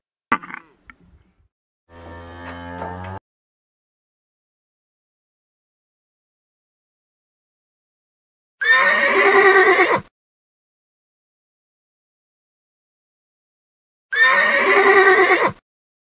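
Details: A horse neighs twice, each a loud, harsh, shaky whinny lasting over a second, about five seconds apart, after a spoken word and a short burst of music.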